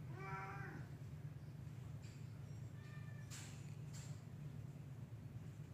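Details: Black cat up a tree giving one short, clear meow near the start, then only faint traces, over a steady low rumble.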